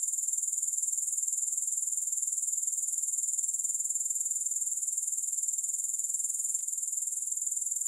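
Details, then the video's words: Grasshoppers, with no music. A dense, high-pitched buzzing chorus of quick, regular pulses runs without pause. One tiny click is heard late in the recording. "Grass Hopper Sounds"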